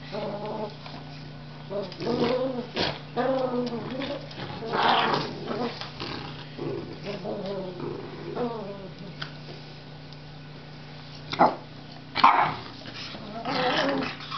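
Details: Mini poodle and Cavalier King Charles Spaniel locked in tug-of-war play, giving rough, harmonic growling bursts and whiny rising notes in uneven clusters, with pauses and a few loud sharp peaks near the end; human voice faintly present.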